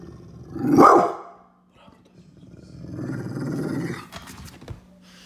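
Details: Angry Pit bull dog barking very loud: one sharp, harsh bark near the start, a short pause, then a low, rumbling growl lasting about a second and a half, with a faint steady hum underneath.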